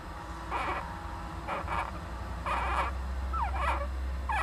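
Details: Young Japanese giant flying squirrel inside an owl nest box, 19 July 2010, with its parent. Short squeaky harmonic bursts come about once a second, ending in quick downward-curving squeals over a steady low hum.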